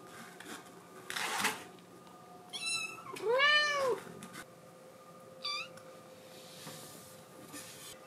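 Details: Scottish Fold kitten crying because it wants to go outside: a few separate meows, the clearest a loud arched cry in the middle, with shorter high mews before and after, over quiet room hiss and a brief rustle.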